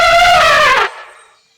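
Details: Elephant shown with its calf gives a loud, brassy trumpet lasting under a second, rich in harmonics and steady in pitch, then cut off abruptly into a fading echo.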